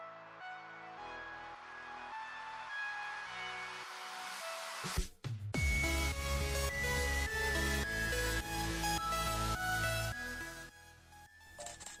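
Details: Electronic dance music with a heavy beat, a loud sweep and break near the middle, and no animal sound.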